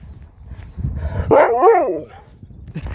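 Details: Pet dog Sherpa keeps "talking" back to his owners: a short, wavering, moaning vocalization that bends up and down in pitch, followed by quieter rustling and low background noise.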